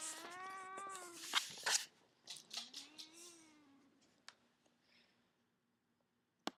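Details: Pet cat resting in a baby cradle indoors utters a long harmonic meow that rises and falls, then a second softer drawn-out meow, with rustling and a sharp click at the end.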